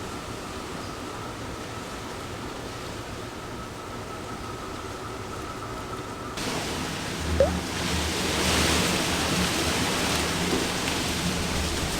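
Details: Roaring typhoon wind rushes steadily, swelling louder midway with a sharp knock, and no animal sound can be heard.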